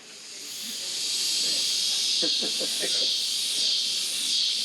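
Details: Cicadas, described as the acoustic signature of hot lowland Colombia, give a dense, continuous, hissing, unbroken high buzz with a faint pulsing swell; a few brief lower tones, possibly a voice, show through near the middle.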